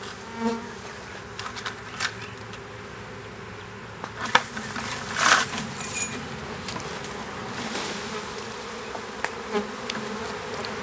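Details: Western honey bee swarm, small, being hived in a privet hedge thicket, south Alabama, April 2014; humming buzz of many bees with sharp clicks and rustling bursts, and a few louder close passes.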